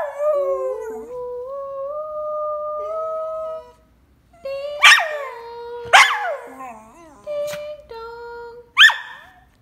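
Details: Pet dog Kobi sings along to his favourite Christmas music, drawn-out wavering howls rising slightly in pitch, then a silence and a run of sharp yips separated by shorter held notes.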